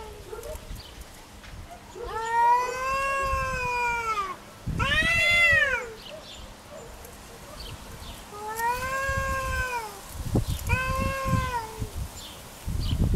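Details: Cat fighting over territory, real recording: loud caterwauling in four drawn-out bursts, arching up and down in pitch, the second one louder and higher, with quiet pauses and faint low background rumble.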